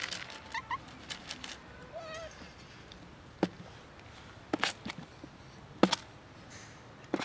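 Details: Street cats, four of them roaming the neighbourhood, being offered real cat food: several brief rising-and-falling meows in the first two seconds, followed by sharp clicks, taps and handling noises.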